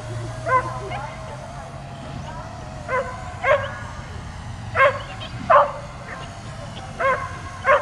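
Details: Agitated dog barking at a drone overhead and jumping up at it; single and paired yelping barks every second or so, rising in bursts, with a continuous low motor hum beneath and some voices in the background.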